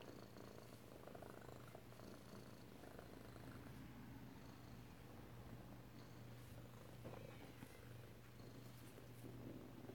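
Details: Indoors in Alabama on 7 February 2018, Hank the kitten keeps up a quiet, even purr against his mother, the rumble steady throughout beneath a faint household hum.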